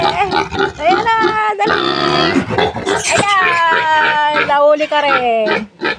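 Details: A weaning piglet of a new sow, finally caught after escaping, screams in long, loud, strained, wavering cries while people talk and exclaim close by.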